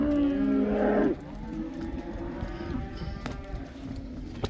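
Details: A black cow in the Netherlands, let back into the pasture during the Dutch cow dance, gives one loud, steady moo lasting about a second, followed by quieter distant lowing and rustling.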